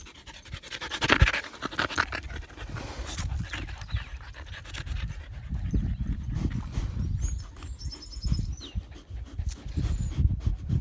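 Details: Husky dog outdoors playing with a sheep, breathing in quick, rough, breathy pants that come in uneven bursts, with shuffling movement noise and faint high bird chirps in the background.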